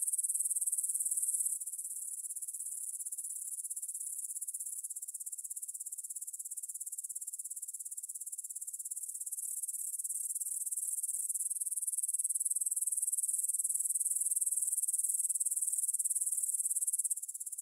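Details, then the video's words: Stridulating grasshoppers in a meadow by the Svensky monastery, Bryansk, Russia, 6 September 2020 at 9 pm, Tascam DR-44WL stereo: a high, hissing pulsed chorus, louder at first, then softer and slowly building again before a brief break near the end. "кузнечики на лугу – Grasshopper Sounds in the Field"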